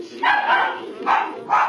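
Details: Newborn Tibetan Mastiff puppies at a kennel, just after their mother whelped, recorded 5 November 2015: three short, high, squealing whines, each a brief rising and falling cry about half a second apart.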